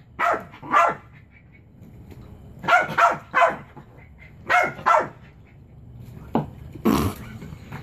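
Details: Indoor pet Chihuahua called Beau, straining to get his favorite toy frisbee off a chair, gives paired high yapping barks spaced a couple of seconds apart, with some scraping and a loud clatter near the end.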